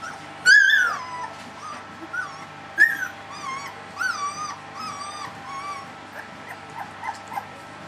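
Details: Three-week-old puppies crying together, a loud wavering squeal at the start, then repeated high whiny yelps every second or so, fading to softer whimpers over a faint steady hum.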